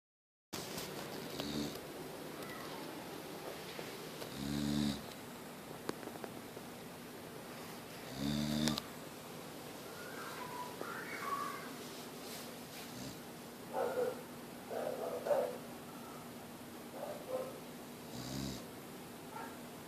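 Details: Mia, a Boxer dog, still snoring: a few low, harmonic-rich snores spread through the recording, separated by quiet stretches with small scattered indoor sounds.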